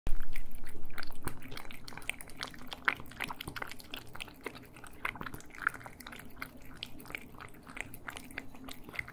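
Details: Cats eating indoors in a small room, recorded in stereo: rapid crunching and chewing, about four bites a second, loud at first and then softer and irregular, with sharp clicks scattered throughout.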